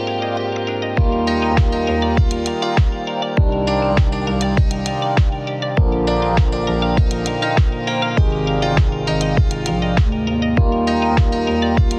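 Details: Upbeat electronic music with a regular pulsing beat and bright synth tones; no animal sounds.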